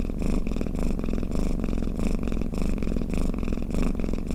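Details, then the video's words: Domestic cat purring and snoring, played to lull other cats to sleep; a steady low rumbling purr with pulsing breaths roughly every half second, continuous and close, with no other sounds. "เสียงแมวกรน เปิดให้แมวฟังเคลิ้มๆไปเลยค่ะ | Snoring Cat"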